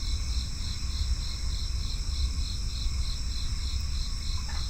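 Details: Steady cricket chorus: rhythmic high chirps repeating roughly three times a second above a constant shrill ringing, set against a deep droning rumble, with one short faint call near the end.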